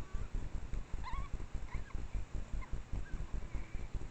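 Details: An adult female Japanese wild boar with three suckling piglets gives soft, low grunts, two or three each second, while foraging on a mountain trail in Japanese red-cedar forest at dusk around 18:00, late August 2022, Japan.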